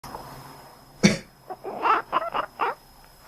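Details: Indoor pet cat, resting, answering its owner's cough: one sharp human cough, then a run of five short, nasal, duck-like quacks over about a second in a quiet small room.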